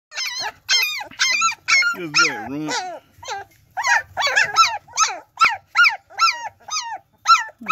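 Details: German Shepherd puppies from a litter of nine, sired by Pretty Boy out of Trouble, giving high, bent whimpers and yelps in quick, uneven succession, roughly fifteen separate cries with brief silent gaps between them.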